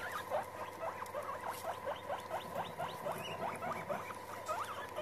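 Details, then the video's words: Several guinea pigs gathered together give a rapid, continuous stream of short upward-sweeping squeaks, several each second and overlapping, over a constant background hum. "Meeting all Guinea get together/Guinea pigs"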